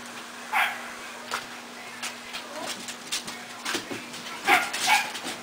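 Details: Puppies of a dog named Jitterbug, indoors, eating dry food: two short, high, whining whimpers with a ringing tone, one near the start and a pair near the end, over soft clicks of feeding and a faint steady hum.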